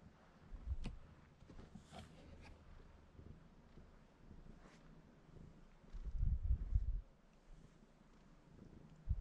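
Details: Domestic cat sitting on a person and purring while wanting to be petted; a low, steady rumbling purr that swells into louder pulsing bursts midway, with a few soft rustles and clicks nearby.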